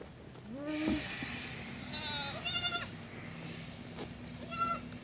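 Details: Female baby goat romping around a tree stump calls out: a rising nasal cry, then a buzzy quavering bleat, and after a pause a shorter high bleat, over a steady low hum.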